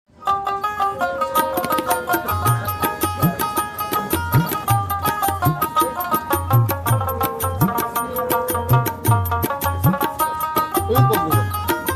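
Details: Plucked sitar-like strings over rhythmic tabla drumming fill the recording, with no animal voice.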